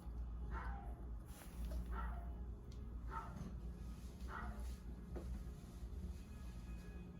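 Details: Yeoul, a four-month-old Bichon Frise puppy, diagnosed with parvovirus three days after coming home and recovering through hospital treatment, gives short high yips roughly once a second, five in a row, over steady background music.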